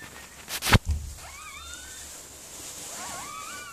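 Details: Miniature Pinscher Mirella giving birth to puppies: two thin, high, wavering whimpers, each sliding up and down in short bends, follow a brief loud knock near the start, over a quiet steady hiss.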